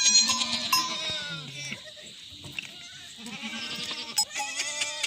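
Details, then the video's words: Himalayan goat in a jungle in an Uttarakhand village, India, giving short, low bleats; a steady high-pitched buzz runs throughout, with scattered clicks and a few bell-like taps. "जंगल में बकरी के साथ/himalayan goat"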